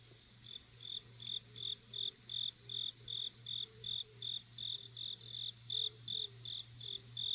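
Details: Grass insects singing on a mountain-village morning walk, with balsam flowers blooming and pumpkin vines nearby; high, bright pulsed chirps near the top of the range repeat steadily about two or three times per second over a low steady hum.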